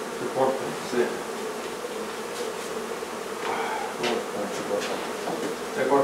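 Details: Many honey bees humming during removal of their hive from a barn in La Feria, Texas, in the hottest part of the day. A continuous low drone with faint knocks and handling noises over it.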